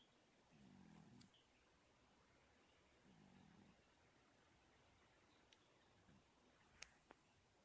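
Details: Till, a sleeping pet cat, snoring indoors: two soft, low, rasping breaths about two and a half seconds apart, each lasting under a second, over a quiet room hiss with a few faint clicks near the end.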